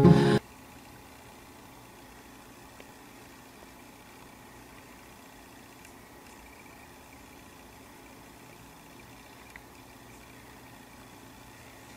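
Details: A quiet indoor room with a low steady hum, a brief loud knock at the very start and a few faint clicks later, with no animal voice.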